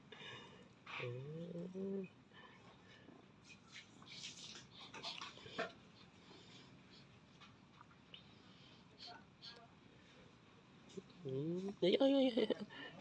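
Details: Indoor cat giving a drawn-out, rising meow at the start and a louder, wavering meow near the end, with soft clatter and scattered household noises in between.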